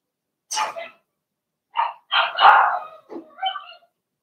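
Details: Cavalier King Charles Spaniel puppies, Blenheim litter of six in an indoor puppy pen during potty training; short bright yips and a longer whining cry in quick irregular bursts, with quiet gaps.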